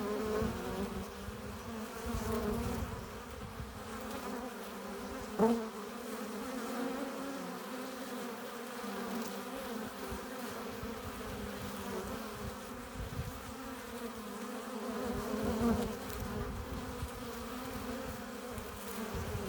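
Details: Continuous droning of honey bees around a hive entrance, workers coming in with nectar and pollen; overlapping wingbeat hums hold steady throughout, with two sharper close passes briefly standing out.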